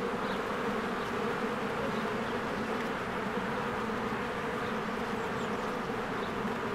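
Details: Honeybees swarming in and out of their hive in spring among blooming flowers, recorded with a Canon EOS R; a dense, steady low drone with layered hum bands, overlaid by a few faint, high bird chirps.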